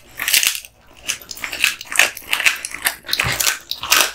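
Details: Crisp, high crackling crunches as Kotetsu, a male American Bully (Pit Bull), bites through duck spine jerky, a steady run of brittle snaps with one short silent gap.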